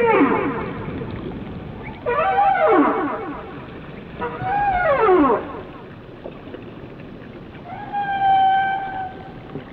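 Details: Whale song phrases: descending, harmonic swoops repeated about every two seconds, ending in a long, steady, flat tone with bright overtones, over soft underwater noise.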